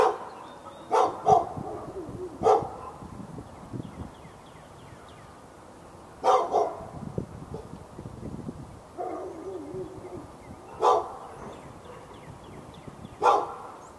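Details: Backyard dog in Raleigh, North Carolina, barking behind a fence at a neighbouring dog, February 15, 2012, during hours of barking from morning into afternoon; about seven sharp single and doubled barks at uneven gaps, with faint bird chirps behind.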